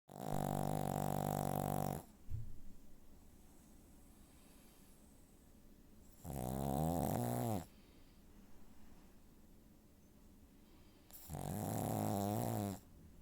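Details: Pug dog snoring loudly indoors: three long rasping snores about two seconds each, separated by quiet pauses of several seconds, deep and rattling with a low buzzy vibration.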